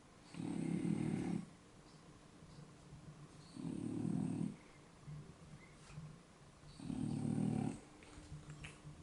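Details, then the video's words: Two French Bulldogs sound asleep indoors; deep, rasping low snores in three long pulls of about a second each, spaced roughly three seconds apart, with quiet breathing between. "フレブル いびき"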